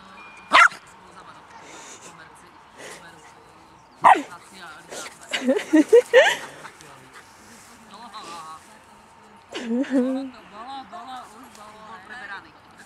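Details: West Highland Terrier playing with a Hovawart puppy: sharp yaps near the start and around four seconds, then wavering, whiny growl-like sounds toward the end, mixed with a person speaking encouragingly in Polish.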